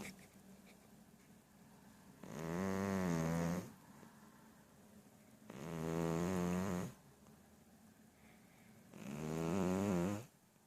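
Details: Sleeping cat snoring deeply: three long, rough, low breaths, each lasting over a second and returning about every three and a half seconds, with quiet pauses between them.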